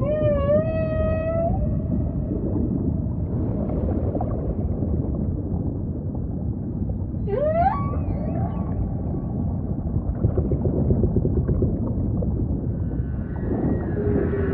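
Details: Song of a humpback whale with ocean ambience: a wavering, harmonic moan opens the phrase, a pause of low rumbling follows, then sharp upward-sliding squeals and a faint closing tone over continuous sea noise.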